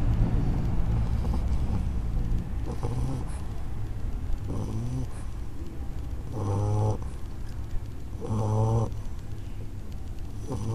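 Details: Chico, an English Bulldog, snores while napping after lunch: a low, rumbling drone with periodic louder nasal bursts around six and eight seconds.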